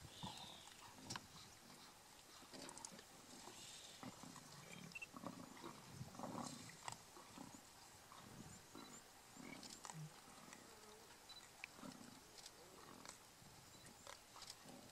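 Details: Kruger National Park lions of a very large pride feeding on a buffalo and fighting: continuous low, grumbling growls and rasping snarls overlap in dense, uneven bursts across the whole stretch.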